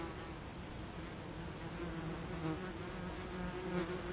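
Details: Common wasps at a nest tucked under tree roots by a forest path in late summer 2015. A low, even hum of several flying insects, with passing wingbeats rising and falling in loudness.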